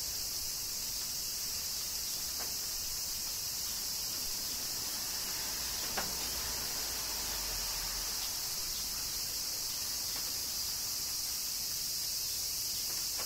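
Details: Summer rain in Kyoto, Japan, with cicadas filling the air: a continuous, even, hissing high-pitched buzz with no pauses, and only a few faint drip sounds scattered through it.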